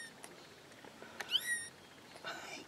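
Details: Newborn kittens from a new litter of four, giving thin, high-pitched mews that bend downward, with one longer cry mid-clip and a second fainter one near the end, in a quiet indoor space.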